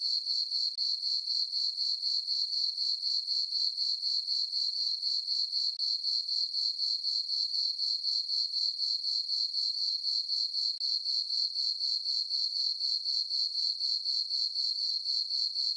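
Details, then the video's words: Summer-night crickets in a moonlit farm meadow give a continuous, shrill, pulsing chirp, roughly four beats per second, metallic and regular, with nothing else audible behind it. "Cricket chirping sounds for sleeping - sleep and relaxation nature sounds at night"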